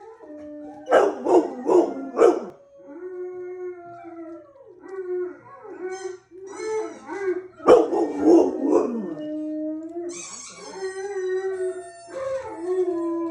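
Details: Pet dog howling: bursts of short yelping barks, then long steady mid-pitched wavering howls, another round of barks around the middle, and further drawn-out rising and falling howls to the end.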